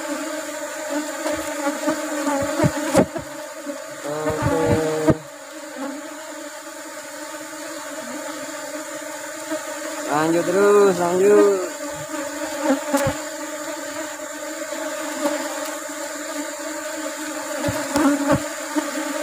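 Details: Asian honey bees (Apis cerana) during a honey harvest as rubber trees flower. A continuous low hum carries brief louder buzzing passes around the start and middle, with occasional knocks and handling noise.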